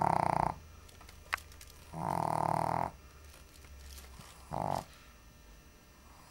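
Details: Shih Tzu sleeping on the floor between a basket and a coffee table during a heat wave, snoring loudly: harsh, rasping buzzy snores lasting about half a second to a second, recurring roughly every two seconds, with quiet gaps between.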